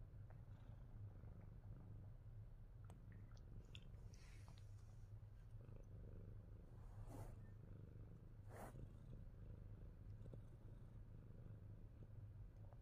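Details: Pet Himalayan Persian cat Fat Boy keeps up a deep steady purr, overlaid by a couple of sharp handling noises and brief rustles midway.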